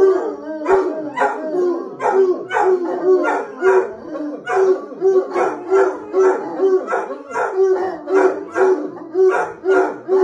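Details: Bloodhounds howling in a rhythmic series of short, bayed pulses, about two every second, each with rich overtones and a steady mid-pitched tone running through the bursts.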